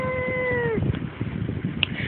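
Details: One-year-old female house cat, Shonga-shonga, a so-called talking cat, gives a single drawn-out meow that holds steady and then slides downward at the end, followed by background murmur and a soft Tagalog voice.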